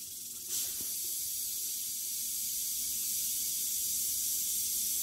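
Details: Western diamondback rattlesnake that shed three days ago, killing a mouse: a soft start, then a sudden jump into loud sustained high rattling buzz that holds steady to the end.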